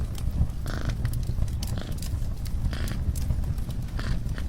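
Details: A steady low purr from a domestic cat, continuous and throbbing, with irregular crackles and snaps from a nearby fireplace layered over it.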